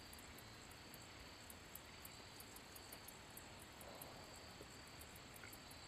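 A handsome meadow katydid sings a thin, high ticking series over a steady hiss, with distant low rumble.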